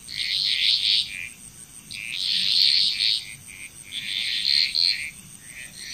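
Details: Chorus of frogs in Bali, Indonesia, rhythmic bursts of trilled, rasping croaks recurring about every two seconds, several animals overlapping, with a steady thin high hum throughout.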